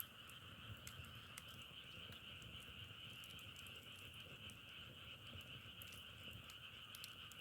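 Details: Many frogs calling together in an unbroken, buzzing chorus with a steady high band over a lower one, dotted with brief crackles and clicks.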